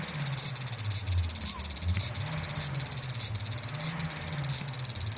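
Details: A large brown cicada (Graptopsaltria nigrofuscata) on a park tree branch just after 6 pm in the evening sings an unbroken, harsh sizzling drone like oil frying, walking slowly along while singing.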